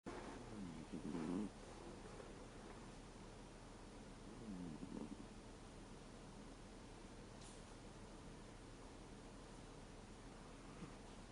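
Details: Thirteen-year-old American Shorthair cat asleep and snoring, its snore shifting from a 'guu' to a 'puu' sound: two soft, low, rasping snores about three and a half seconds apart over a steady quiet room hiss.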